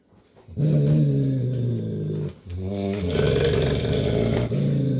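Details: Adult male Golden Retriever, a father dog, growling at his puppy daughter indoors to tell her playtime is over; a long, low, rumbling growl with a brief break past two seconds, then resuming louder.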